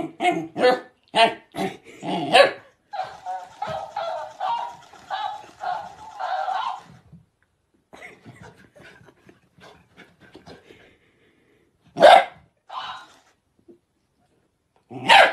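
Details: Dog barking in a quick run of sharp barks about three per second, then a series of harmonic whining, voice-like sounds, later isolated loud barks separated by quiet gaps.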